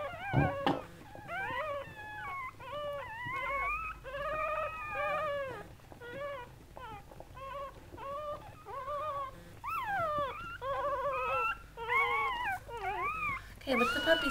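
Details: Goldendoodle whelping, mother Sandy with her seven newborn puppies: long series of piercing, wavering squeals and whines, each brief and arched in pitch, coming almost continuously with brief gaps.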